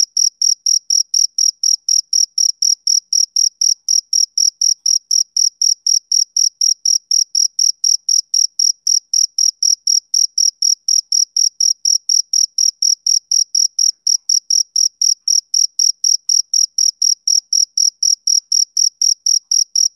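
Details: Rhythmic chirping of a male cricket on summer evenings, roughly eighty bright, shrill pulses at about four per second, unbroken and metronomic across the whole stretch, with a quiet, empty background.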